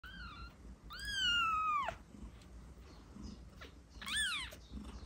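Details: Kitten meows meant to attract cats: a short high meow, then a long drawn-out cry with bright harmonics sliding slowly downward, and a last quick arched meow near the end.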